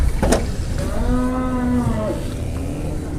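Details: A jumbo cow at an Indonesian cattle market during morning bargaining: a single smooth, level moo of about a second and a half, following a sharp knock, with a low hum of people and traffic.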